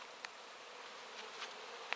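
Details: Honey bees cleaning out wax, a whole hive's worth gathered about one and a half to two hours after it was put out; a steady, dense, high buzzing hum with a few sharp clicks of bees passing close.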